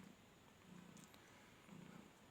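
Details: Kittens nursing at the Nayabati cat market in Khalishpur, Khulna, Bangladesh, a litter of six: two reddish, two ginger, two white. Two soft, low rumbling purr bursts, each under half a second, over quiet background hiss.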